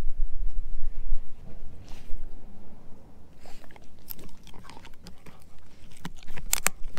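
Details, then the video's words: Heavy opening bites from Edu, a German Shepherd mix eating a dehydrated pig ear chew, give way to scattered crisp cracks and brittle snaps that grow busier toward the end. "Edu Eating a Dehydrated Pig Ear Dog Chew"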